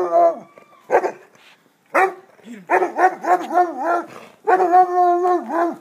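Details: Basset hound giving short barks followed by a run of wavering, up-and-down bays and a longer sustained howl, loud and harmonic, with short pauses between bursts.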